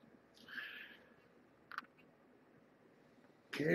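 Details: Kittens with mother Marge at Purrfect Pals, evening dinnertime on December 30, litter born November 22, 2014. A brief wavering meow opens, then a soft click and a sudden loud rustling burst at the end.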